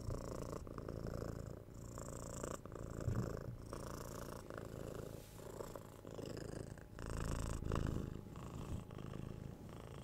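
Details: Domestic cat purring steadily up close indoors, a deep continuous rumble in low, even cycles of inhale and exhale roughly every second, with faint rustling; recorded for relaxation listening.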